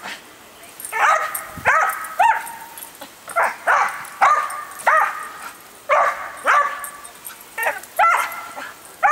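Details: Usually docile female dog going wild over a garden hose sprayer, giving clusters of sharp, tonal, yelping barks with falling pitch, some whiny, spaced irregularly through the stretch.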